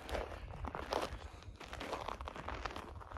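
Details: Footsteps crunch and rustle over ground outdoors at a rural horse yard, with no horse vocalization heard.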